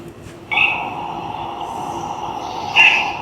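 A Belding's ground squirrel gives a long, steady, high whistle, its alarm for hawks and other raptors.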